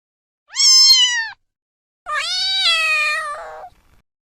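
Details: Kittens meowing: two drawn-out, strongly harmonic meows, the first under a second long, the second about one and a half seconds and steady before dropping lower at the end, separated by silence.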